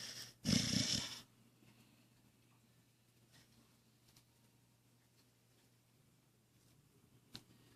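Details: Cookie, a Blue Heeler, sleeping on a chair indoors, gives one loud, rough, breathy snore near the start, then the room falls quiet apart from a steady low hum and faint soft breathing.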